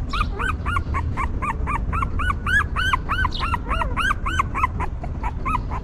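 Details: Newborn puppies of a stray mother dog whimpering while she cares for them: rapid, arched, squeaky cries, about three to four per second, in an unbroken series over a low steady rumble.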